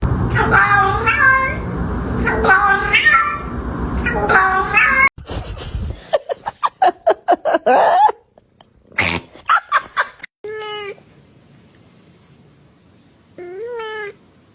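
A domestic cat gives a string of odd, drawn-out yowls, then clear rising meows.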